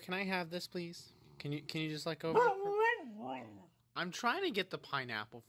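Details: Indoor Siberian Husky "talking": a run of expressive, voice-like whines and yowls that bend up and down in pitch, broken by short gaps, with a final burst of chattering syllables.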